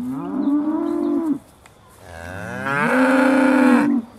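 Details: Aussie Red dairy cows at Beaulands shortly before milking, December 2012, give two sustained moos, the second rising into a loud, level, strongly harmonic bellow lasting over a second.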